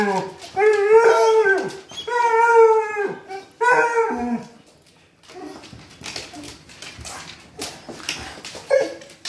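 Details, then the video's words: Three Basset Hounds giving a welcome-home greeting indoors: long, drawn-out baying howls with rich harmonics, three loud sustained bursts in the first five seconds, then quieter snuffles and a short yelp, with a person's laughter nearby. "Basset Hound Trio Welcome Home Greeting"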